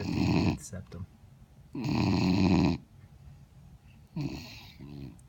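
A Vizsla puppy snores in long, rumbling, buzzy breaths about every two seconds.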